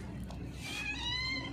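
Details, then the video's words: Hungry, thin cat with a broken leg being fed, giving a drawn-out tonal meow that rises then levels off and fades, over low background murmur and a person talking nearby. "hungry cat loudly meowing"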